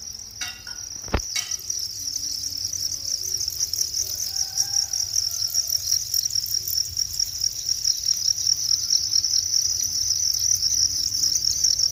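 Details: Cricket in nature delivering an unbroken, very high buzzing trill that grows slightly louder as it continues, opening with a sharp click and a few faint rustles in the background.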